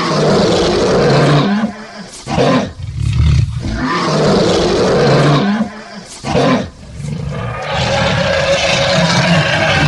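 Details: A lion (Panthera leo) roars in long, deep, rasping bursts separated by short pauses.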